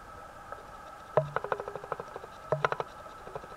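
A common frog gives soft, low purring croaks in two short pulsed bursts.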